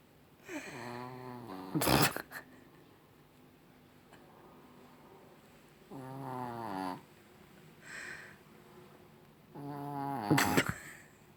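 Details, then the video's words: Rocky the Chihuahua snoring in the evening, three nasal buzzing snores a few seconds apart, interrupted by sharp knocking or clattering noises in an indoor room. "Chihuahua Rocky schnarcht"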